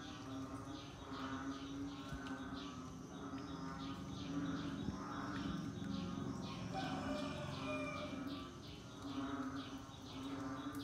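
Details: Frogs calling in the rainy season, a dense chorus of overlapping, moaning, harmonic calls repeating every second or so, over a steady low drone and constant background hum.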